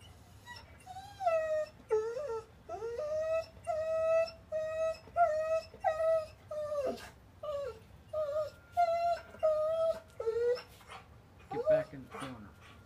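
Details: Pet dog put in time out in a corner for being bad, crying steadily indoors: loud, drawn-out whining notes that bend and dip, repeated roughly every second, with a person talking near the end.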